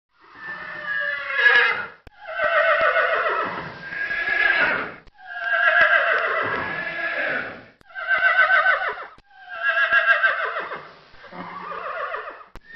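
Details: Horse whinnying in a series of six long, quavering harmonic calls, each rising then sliding downward and ending in a shaky tremolo, with short silent gaps between them.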